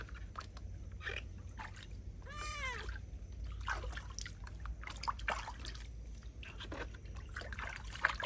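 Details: A feral cat protests a bath with a single arched, falling meow midway, surrounded by water pouring, splashes and handling noises.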